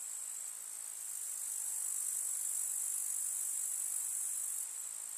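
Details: Many grasshoppers in a rural summer meadow among wildflowers, making an unbroken, very high, sizzling buzz that swells slightly in the middle and stays even to the end, with no other sounds.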